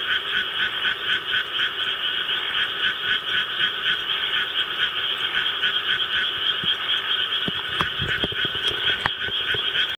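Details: Japanese tree frog at home answering played rice-paddy sounds; unbroken rapid raspy pulses around four per second fill the clip, with a few sharp knocks near the end.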